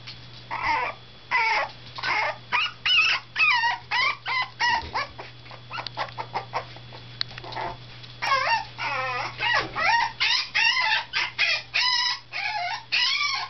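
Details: Teacup Poodle puppy named Komugi, nine days in her new home, demanding to be let out: rapid series of high, wavering whining yips and cries, nearly continuous with brief gaps, a steady low hum underneath.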